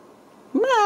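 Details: Home-raised Ragdoll kitten at a central Kansas cattery gives one short, clear meow that climbs sharply and then slides down. It comes right after a stretch of quiet indoor background.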